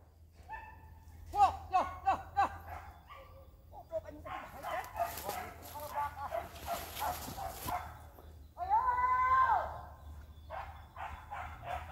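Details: Village dogs barking and baying while chasing wild boar during a hunt in Indonesia: a run of quick repeated yelps early, then overlapping howling bays with a long drawn-out cry near the end, amid shouting men.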